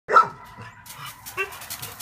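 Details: One-year-old male hound mix, a former stray at an adoption shelter, giving a single sharp bark at the start, followed by quieter rustling and handling noises.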